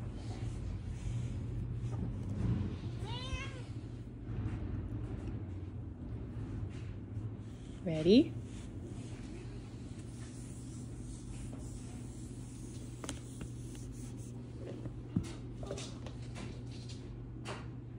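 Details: Ginger house cat indoors, a so-called talking cat, gives two short meows: a wavering one near three seconds and a louder, sliding, rising-then-falling meow near eight seconds, over a person's quiet speech and a steady low hum.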